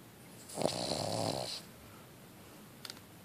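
A Cavalier King Charles Spaniel gives one long, rattling snore lasting about a second.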